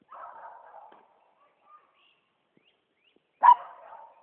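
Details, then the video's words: Poodle treeing a squirrel: a soft drawn-out whine, then a pause and a single sharp, loud bark near the end. "Squirrel treeing poodle"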